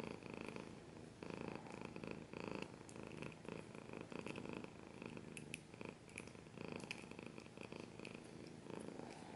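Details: Domestic cat purring up close, a steady low rumble in pulsing bursts, mixed with frequent sharp scratching sounds across the recording.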